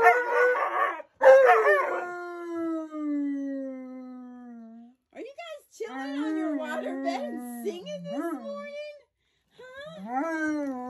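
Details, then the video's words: Alaskan Malamutes Tonka and Monroe howling on their waterbed; a long howl slides slowly downward, then wavering, warbling yodel-like howls rise and fall, with short gaps of silence between phrases. "Newlyweds Howling On Their Waterbed"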